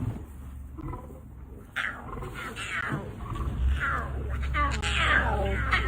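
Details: Male lion filmed in Botswana guarding his cubs and their mother, giving rough, rasping snarls and growls that swell louder toward the end, with a steady low rumble of a vehicle engine beneath.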